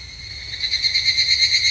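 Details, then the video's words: On a Japanese summer evening at a temple, an evening cicada's shrill ringing song swells louder partway through into a wavering, pulsing buzz, with faint low background hum. "日本の夏～お寺とひぐらしの鳴き声Japanese Summer Temple and Evening Cicada"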